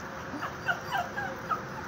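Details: Chihuahua-terrier mix dog begging for a walk, giving soft high whimpers that bend and slide in short arcs, several thin whines over a couple of seconds against quiet indoor hiss.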